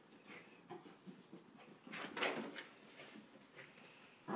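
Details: Vita, a female Samoyed, in one of her moods, gives short scattered grumbling bursts, swelling into a louder, harsh, broad outburst midway, then quieter mutters and a sharp sound right at the end.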